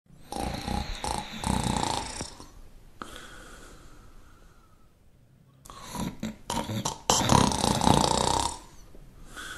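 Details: Shar Pei dog snoring: loud rattling snorts on inhalation, each lasting about two seconds, alternating with softer, hissing exhalations and brief pauses.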